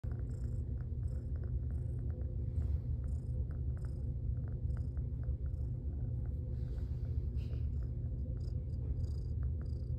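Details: A fearful, adoptable female Domestic Shorthair cat in foster care purrs steadily, a continuous low rumbling throb lasting throughout, with faint higher clicks and rustles over it.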